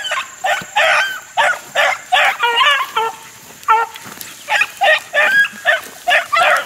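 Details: Pack of four-month-old Beagle pups running rabbits in the wild in 2013: loud, sharply separated yelps and bays repeated several times a second, some with falling pitch, several pups calling together.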